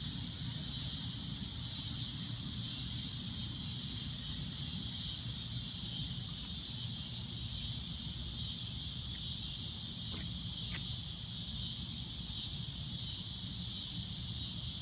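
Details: Loud, shrill cicada drone at sunset, a steady high hiss that never breaks across the whole stretch, with a low background rumble and two faint clicks near the end.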